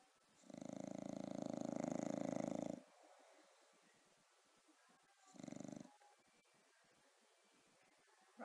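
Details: Rocko, a bulldog, sleeping: a long rasping snore of about two seconds with a fluttering, pulsed texture, then silence and a shorter snore, with a name called nearby before and after.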